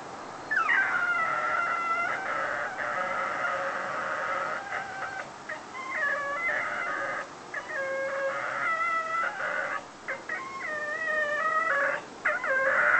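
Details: Whippet in foster care, left home alone while its carer was out shopping, howling almost continuously: long wavering wails with rising and falling pitch, broken by brief gaps, and a few short yips near the end.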